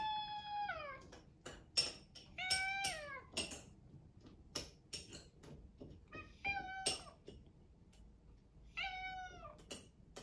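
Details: Indoor rescued British Shorthair cat demanding breakfast with a series of meows, long ones sliding downward, about five in ten seconds, amid sharp clinks of dishes and cutlery.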